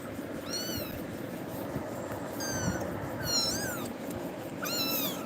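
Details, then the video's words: Frightened pet kitten crying after being scared by Tiger's actions: four high, thin meows, each arching up then falling, spaced about a second apart, over a low steady background hum and murmur. "குட்டி பூனை🐈🐾❤️பயந்து கத்துது"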